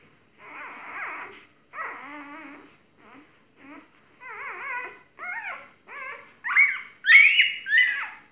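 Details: Golden retriever whimpering indoors: short nasal whining notes, some wavering and some sliding, repeated about every second, rising into higher, louder squeals near the end.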